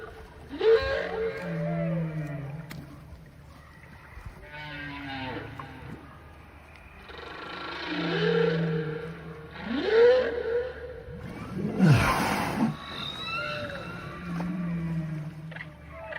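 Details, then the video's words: A big whale in open water calling in a varied series of rising whoops, low groans and moans every few seconds, with one loud downward-swooping roar near the middle. "Big Whale in Waters Captured making Noise"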